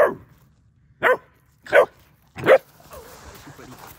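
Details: German Shepherd puppy, a female, scared of a fake deer and barking at it outdoors: four sharp, loud single barks spaced under a second apart, followed by faint background noise.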